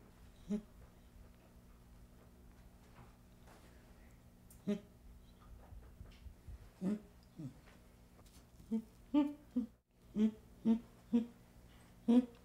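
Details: Baby chimpanzee giving short, soft, low-pitched whimpering hoots with a breathy edge. The calls are spaced irregularly at first, then come faster and louder in a run of about eight toward the end, over a faint steady indoor hum.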